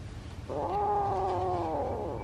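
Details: A kitten voicing a plea for something: a single sustained, fairly even meow lasting nearly two seconds over low room hum.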